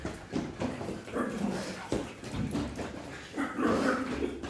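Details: A pug at play makes continuous soft whimpers and grumbling, nasal noises that rise and fall, with a few brief louder whiny bursts.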